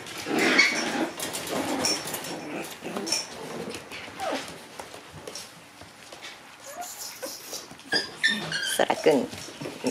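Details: Four black Shiba Inu puppy littermates, born 15 October, indoors on their second day in a room: high, thin squeaky whines and short yelps come in scattered bursts, with a woman talking in Japanese between them.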